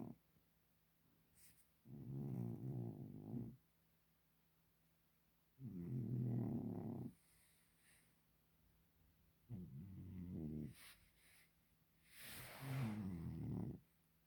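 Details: Sleeping domestic cat snoring steadily, with four low, rough, rumbling breaths spaced about four seconds apart, each lasting one to two seconds, separated by near silence and a faint steady hum.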